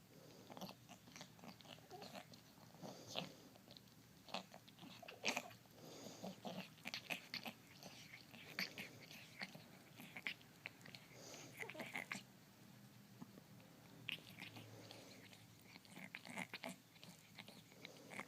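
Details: Grooming house cat with a respiratory disease makes very loud, strange noises as it cleans itself; dense run of crackly, crunchy licking clicks and raspy wheezing breaths, irregular throughout, in a small room.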